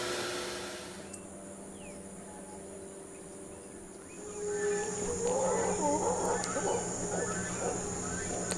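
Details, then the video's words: Howler monkeys calling from the jungle just behind a boatyard in Guatemala, heard there every evening and morning; a deep roaring chorus swells in after four seconds over a steady mechanical hum and a high whine, with brief speech. "Vous entendez ça? C'est les singes hurleurs."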